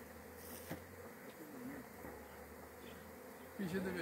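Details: Honey bees kept in box hives during a honey harvest; a steady, dense droning hum fills the whole recording, with a brief human voice entering near the end.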